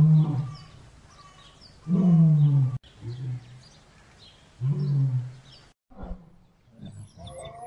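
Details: Lion pair mating: deep, throaty growling roars about two seconds apart, some rising in pitch then sagging, ending in softer grunts and a brief quiet gap.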